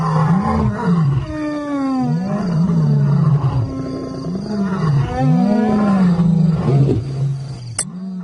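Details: Lions roaring on Simba's turf, where two intimidating new arrivals deliver the ultimate insult: a series of deep, arching grunt-roars, each swelling and dropping, repeated roughly once a second over eight seconds, with a faint click near the end.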